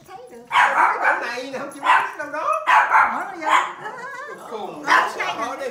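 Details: Pomeranian puppy barking: about five sharp, yappy barks in uneven bursts over six seconds, with wavering whine-like tones between them.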